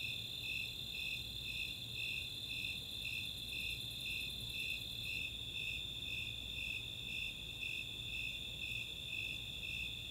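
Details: Snowy and Four-spotted Tree Crickets calling together on a summer night at Chautauqua, Boulder, Colorado; rhythmic high-pitched chirps over a constant ringing trill, with rapid high ticks of Greater Angle-wing Katydids during the first half.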